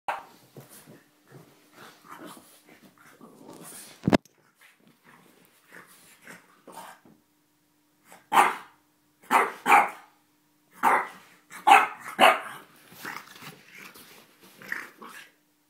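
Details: French Bulldog named Chuck barking while playing, a dog that barks only in play or when startled; soft snuffling grunts for eight seconds, then loud, sharp, broad barks in quick bursts, about six in the last seven seconds.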